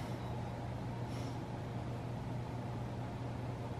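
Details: A constant low electrical hum sits under traffic-like background noise, and no meows or other animal voices stand out.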